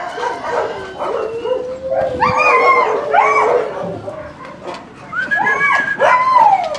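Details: At a husky kennel, dogs give long drawn-out howls and rising, falling yelps that slide up and down in pitch, over a background of scattered barking, loud and excited throughout.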